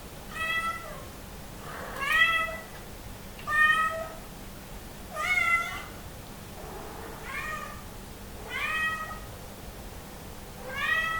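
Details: Somali cat calling out while hungry and wanting entry to the living room; bright, rising-then-falling meows repeated roughly every one and a half seconds, about seven in all, over a low constant hum.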